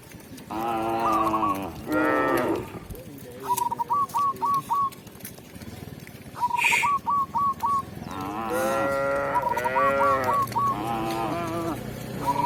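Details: Village cows brought back to the pen by their shepherd moo repeatedly, with two short moos early and a run of longer, wavering moos later. Rapid series of thin, high chirps fill the gaps.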